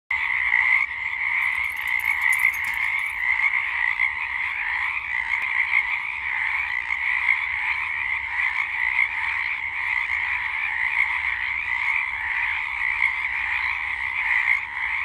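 A dense chorus of Pacific chorus frogs, many voices croaking together in a steady, unbroken wall of sound.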